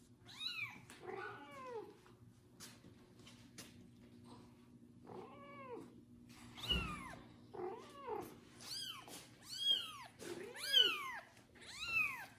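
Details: Loud meowing from a kitten after his first bath while a foster mother cat licks him; high arched meows come irregularly about once a second, growing louder and closer together toward the end, over a low steady hum.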